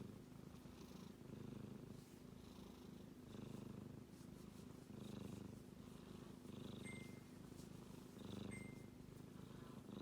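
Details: Snoring of a male kitten while he sleeps, heard as a steady low rumble with gentle rises and falls in each breath cycle; two short, thin high tones ring out near the end.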